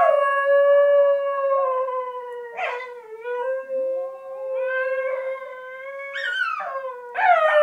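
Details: Basenji song sung from beneath blanket covers: continuous yodelling howl with steady held tones interrupted by brief cracking breaks and upward swoops, ending in a sharp rising note.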